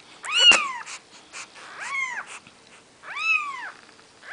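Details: Three drawn-out high mewing cries, each arching up then down, from four-day-old Maine Coon kittens beside their mother Nikita; a sharp click lands on the first cry, with soft rustling between.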